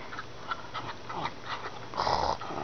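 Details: Rocky, a Shetland Sheepdog, makes short, wavering grumbles and whines that sound almost like talking while being urged on to "get him".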